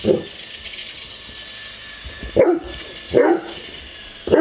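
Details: Great Dane at play with a remote-controlled helicopter, giving a few abrupt deep barks spaced about a second apart against a constant buzzing motor hum.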